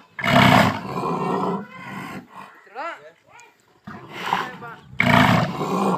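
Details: Two bulls roaring at the same time: deep, harsh, drawn-out roars with strong low harmonics open and close the recording, with a quieter stretch between holding short rising-and-falling whistled sounds.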